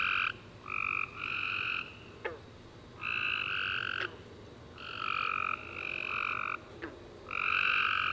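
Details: Recorded at night following a warm rainy summer day, tree frogs chirp in loud buzzy trilled bursts, several callers overlapping, separated by short quieter gaps with occasional sharp clicks.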